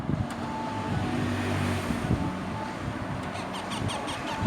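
Low rumbling vehicle and wind noise with no animal calls.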